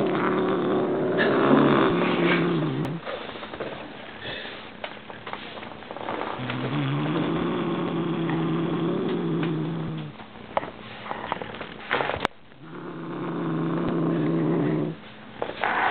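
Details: A Siamese cat growls in long, low, rumbling bouts with brief pauses between them as it goes for its new bird toy.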